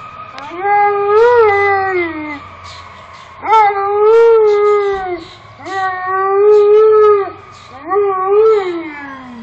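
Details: Pet Alaskan Malamute howling along with passing fire trucks, seemingly trying to outdo them: four long, wavering howls, each rising then sagging in pitch, about two seconds each with short breaths between.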